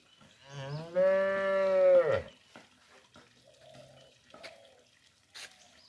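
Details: Calf in a village calling for its mother: a single long harmonic moo lasting about a second, steady then dropping at the end, followed by quieter faint rustles and a few soft clicks.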